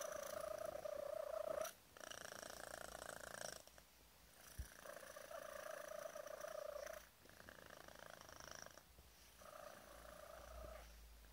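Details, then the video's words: Male kitten aged five months purring like mad as his tummy is tickled and stroked; continuous rattling purr broken by short breaths, with a clear whistle-like tone riding on it during several stretches. "whistle purr"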